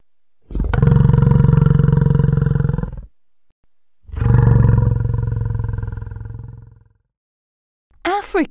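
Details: Two long, deep, rasping African buffalo (Syncerus caffer) bellows of about two and a half seconds each, followed by a voice briefly naming the animal.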